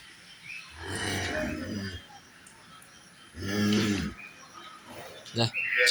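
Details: Holstein Friesian dairy cows kept for sale and milking: two deep, harmonic moos, the first lasting about a second, the second rising louder and shorter, with a man's voice and a few sharp knocks in the background.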